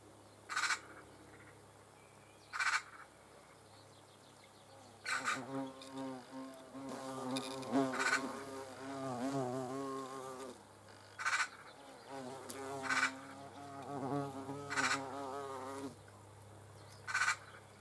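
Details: Hornet buzzing in bursts of low, wavering drone through the middle, with sharp, bright clicking pulses repeating roughly every two seconds at the start and end.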